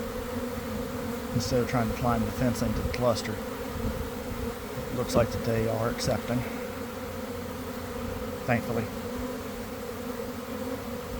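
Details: Honey bee swarm forming in a garden near its hive around one in the afternoon, after a week of cold, damp weather; a dense, steady droning hum with passing individual bees buzzing close by, rising and falling in pitch.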